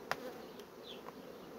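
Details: Steady droning of honey bees from colonies that grow their brood frames fast. A sharp click sounds near the start, and a soft high chirp follows later.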